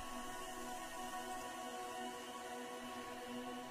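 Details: Steady ambient music with sustained tones plays throughout, with no animal sound.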